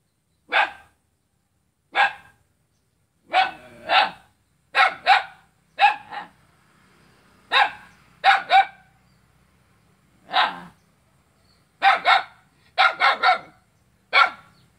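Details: Barking at a neighbour on Jalan Kolonel Sugiono in Selat, Kapuas, Central Kalimantan, a dog gives sharp single and paired barks at uneven intervals over fifteen seconds, recorded on 5 August 2017 with a faint low hum underneath.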